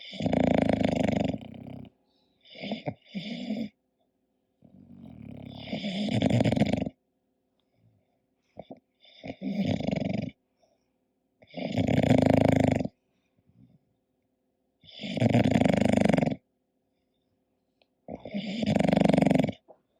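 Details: Snoring English Bulldog in deep sleep: loud gravelly snores about every three seconds, some broken into short double snorts, with near silence between breaths.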